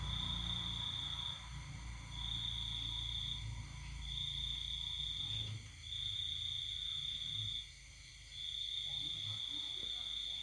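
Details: Cricket singing at night in the countryside during the pandemic season: a steady, high continuous trill broken by short pauses roughly every two seconds, over a low background hum.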